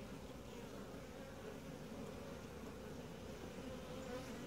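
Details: Honey bees humming inside an apiary hive under inspection, the colony quiet and calm; a dense, steady low buzz, unchanging in loudness, with a few brief brighter tones slipping through near the end.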